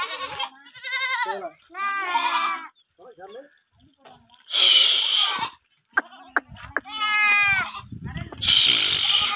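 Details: Young male Kodi goats, thirteen kids offered for sale, give wavering, quavering bleats in short bursts, some rising and falling in pitch, broken by loud harsh hissing bursts and gaps of near silence.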